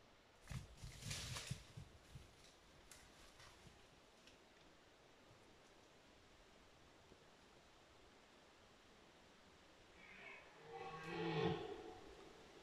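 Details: A red deer stag gives a low, harmonic rutting roar during the 2022 rut, after some rustling in the undergrowth.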